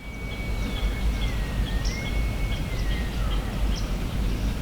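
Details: A sika deer stag in the marshes of Maryland's Eastern Shore, recorded at a hunting camp, gives a long, thin, wavering whistle over a heavy low rumble of wind or traffic.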